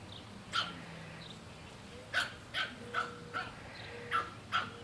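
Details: Pug refusing to share barbecue foil with a black pug puppy gives sharp, high barks, one early and then a steady run of about six more in the last three seconds, each a brief bright burst over a low indoor hum.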